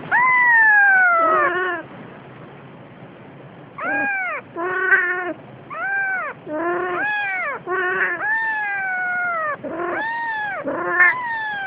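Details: Siamese cat carrying a kitten gives loud, drawn-out meows with rich harmonics. The first call is long and sliding downward, then a run of shorter, arched yowls comes in quick succession with brief gaps between.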